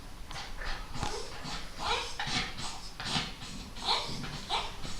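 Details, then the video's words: Pet dog making an odd noise when touched on a sensitive spot: a run of short, high, whiny squeaks with nasal overtones, coming roughly twice a second in uneven bursts over a low indoor background. "El ruido raro de mi perro"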